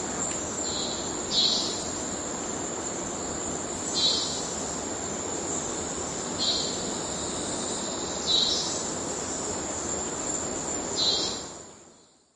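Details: A cicada in the Amazon forest of Venezuela sings a steady, piercing, robot-like high whine broken by short pulsed bursts every two to three seconds.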